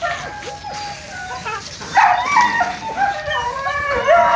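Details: Donovan Pinscher puppies being tested, gripping milk crates, one noted as socially aggressive; overlapping high, wavering whines and short yips from several pups, quiet at first and growing louder after two seconds, with a faint background hiss.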